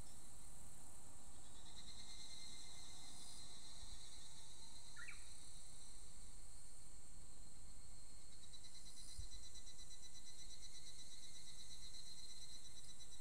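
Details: Higurashi, the evening cicada, right after the rainy season. Its high pulsed buzzing trills pour on continuously, overlapping a Japanese bush warbler that briefly gives a low steady note followed by a quick upward sweep.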